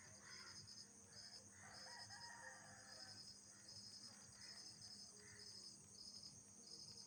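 Night insects keep up a steady high chorus of shrill pulsed trills over a continuous upper whine.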